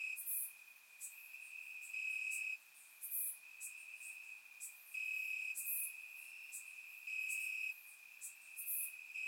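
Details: Night chorus of crickets in grass, Bulgaria, warm summer evening, surround recording; a continuous shrill tone swells into loud chirping bursts lasting about a second, repeating irregularly, with sharp high clicks from further callers.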